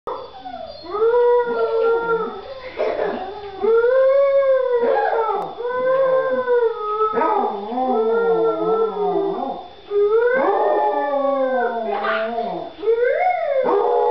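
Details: A Basset Hound gives long, wavering howls that rise and fall, joined by a child howling along with her.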